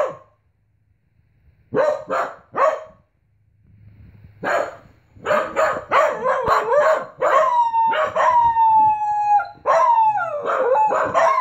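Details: Pembroke Welsh Corgi named Ein, a young dog just learning to howl, set off by a leaf hitting the outside window indoors; opens with short barks and yelps that build into long, wavering, falling howls with bright overtones.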